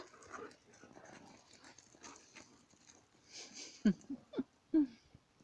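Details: Dogs play-fighting, one a small female, with scattered low growling and panting early on, then three or four loud sharp yelps or barks near the end, with people talking in Italian in the background.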